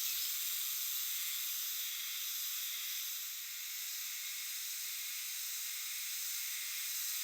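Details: Chorus of Euterpnosia chibensis cicadas in the shade of a Japanese shrine or temple forest, sung jiwa-jiwa-jiwa; a continuous high-pitched shimmering hiss that softens slightly, then swells again.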